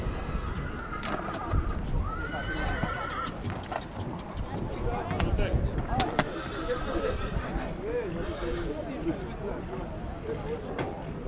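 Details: Horses in Rădăuți, Suceava, Romania, giving high harmonic whinnies that bend downward, heard mostly early on, over steady people's talk, hoof clops and sharp knocking sounds throughout.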